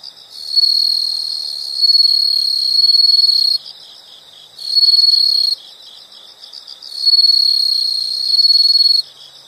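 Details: Insects in a calming background recording: three loud, shrill high trills of about two to three seconds each, separated by pauses filled with a quieter, rapidly pulsing chirp.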